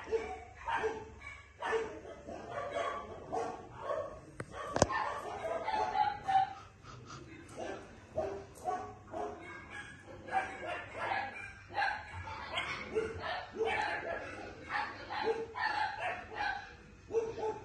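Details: Female Maltipoo puppy giving a long run of short, high, harmonic yips and barks, repeated about once a second with brief pauses, plus a sharp click near the five-second mark.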